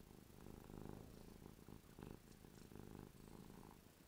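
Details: Ruby, a domestic cat, drooling while happy: steady low rumbling purr with pulsed bursts roughly every half second, alternating inhale and exhale phases, recorded indoors at close range.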